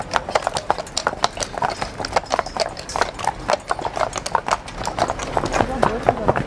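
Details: Belgian draft horse, also called Brabant draft horse, walking in the sea off the beach at Middelkerke-Bad, West Flanders, Belgium, 17 October 2020 at 12:39; quick, sharp hoof clops in an uneven rhythm, with people talking throughout.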